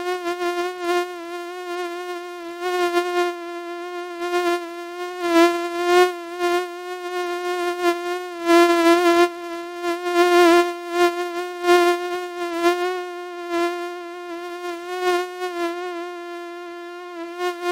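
A mosquito's thin, steady whine, a high hum that swells and fades as it drifts nearer and away.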